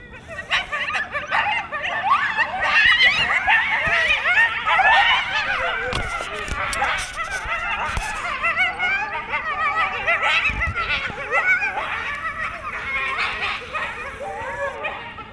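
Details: A loud coyote pack near DeBell Golf Course by Wildwood Canyon in Burbank, California, cuts loose in a frantic chorus of overlapping yips, wavering howls and high barks, louder in life than recorded.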